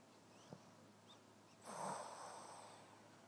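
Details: Wilbur, a sleeping Boston Terrier whose snoring keeps everyone up: a few faint soft clicks, then one breathy, rasping snort-like snore swelling midway and fading slowly over about a second and a half in a quiet room.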